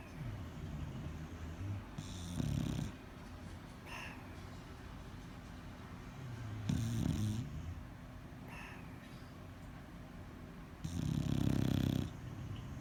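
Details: Deep throaty snores from a bulldog in its sleep, three rough rattling inhalations spaced several seconds apart with faint nasal whistles between them.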